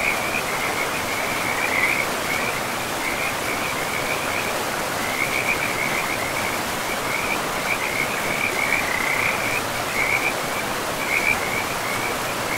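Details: Frogs calling beside a river in a pristine, moss-covered forest: a near-continuous chorus of short, bright, trilling croaks in rapid runs, set against a steady rushing of flowing water.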